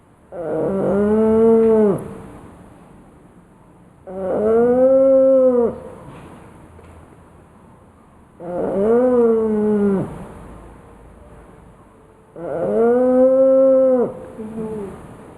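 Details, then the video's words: Loud snoring from Ninna the pug as she sleeps: four strong, voiced, arching snores, each about one and a half seconds long, recurring every four seconds in a steady breathing rhythm. "Ninna pug roncando alto!"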